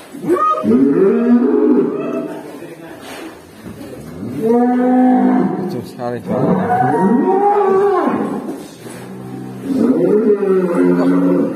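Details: A black cow suddenly making a strange sound gives a series of loud, drawn-out moos that rise and fall in arching, wavering tones, separated by quieter pauses over about eleven seconds.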